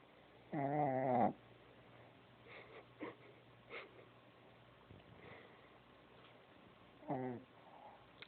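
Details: Sleeping Shih Tzu puppy snoring: two loud, nasal, rasping snores with layered tones, about six seconds apart, each lasting under a second, with soft breathy sounds in between.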